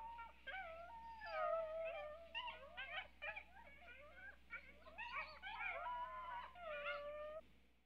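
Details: Several coyotes howl and yip together in a dense chorus of quavering, bending tones and quick barking yips, fading out toward the end.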